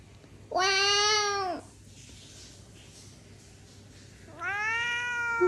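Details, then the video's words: Domestic cat meowing indoors: two clear, drawn-out meows about three seconds apart. Each rises then falls, the second ending lower, with quiet background hum between. "고양이 야오야옹"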